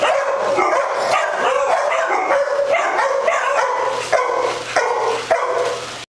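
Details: Several dogs with the zoomies at Doggie Oasis Day Care in Las Vegas, Nevada, on October 5, 2009, keep up a constant overlapping chorus of high yips and sharp barks, some with a harmonic, whiny tone, and a few louder bursts near the end.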